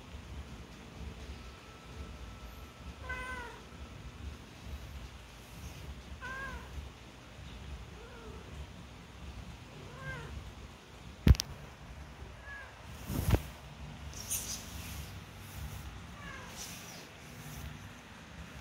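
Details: One-week-old newborn kittens learning to walk, with soft, faint mews at a slow, irregular pace. Two sharp knocks break in partway through, over steady low rumbling background noise.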